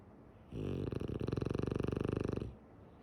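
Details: Snore from Tsumugi, a female French Bulldog asleep with eyes open: a two-second buzzing, throbbing rattle, smooth at first, then pulsing in quick waves before ending abruptly.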